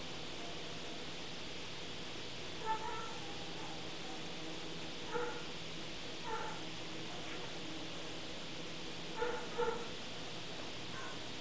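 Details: Rhodesian Ridgeback puppy having its ears taped, giving short, high yips in pairs and small clusters spaced a few seconds apart over a steady background hiss.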